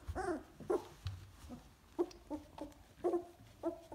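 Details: Golden Retriever puppies aged two weeks in the whelping box make quiet, short nasal squeaks and grunts, roughly every half second, over a soft rustling background.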